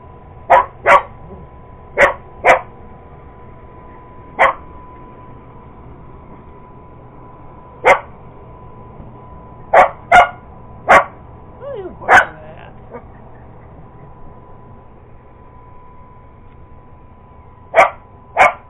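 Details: Purebred Cocker Spaniel barking while going after an iRobot Roomba robot vacuum: about a dozen sharp, single barks, often in quick pairs, with irregular pauses of up to five seconds between bursts and a steady background hum.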